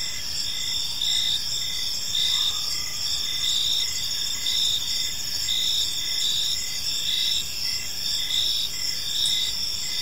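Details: Crickets in a park at evening: a dense, even wall of high, ringing chirps in layered pitches, with a brief faint lower tone early on against the insect chorus.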